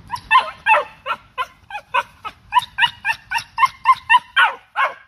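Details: Cocker Spaniel driving birds and squirrels from the backyard, giving a rapid volley of about fifteen sharp, evenly spaced barks over five seconds, some slightly strained and rising, against a quiet background.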